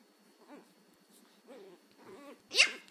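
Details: Angry Chihuahua puppy learning to bark, indoors: three short, high, arched yips about half a second apart, then a sharper, louder yelp at the end.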